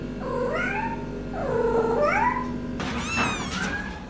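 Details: Cat meows, drawn-out and wavering, rising then falling, two long calls followed by a shorter higher cry after a sudden change in background hiss.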